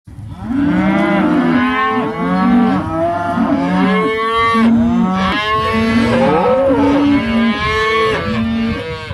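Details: Lloyd cattle, cows and calves together, giving a steady run of overlapping moos, each a harmonic-rich bellow that bends up then falls, many voices calling almost without pause through the whole stretch.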